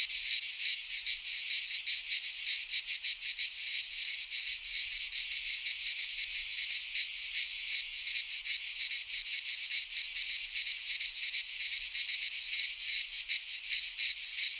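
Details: Cicadas singing in midsummer in a Greek pine forest: a dense, continuous high buzzing chorus with rapid pulsing, nearly three pulses a second, steady in loudness throughout, no other sounds.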